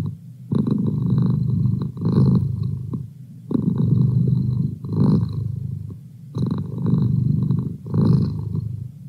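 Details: Indoor pet cat purring as a feline study buddy: deep buzzing rumble in three long breath cycles, each phrase lasting about two seconds, with brief dips in between.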